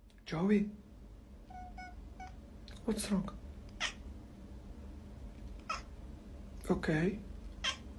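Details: Domestic cat meowing indoors: several short, rising-falling mews around 0.5, 3 and 7 seconds, with a faint voice and soft background hum between calls.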